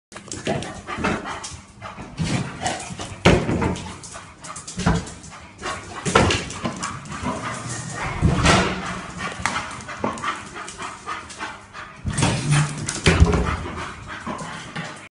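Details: A Bull Terrier, described as going crazy around the house, gives short, excited barks mixed with whimpers and scuffling noises indoors. Finding: Bull Terrier.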